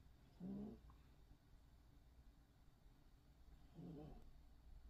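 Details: Sleeping poodle snoring softly in a quiet room: two low, throaty snores spaced about three and a half seconds apart, with near silence between them.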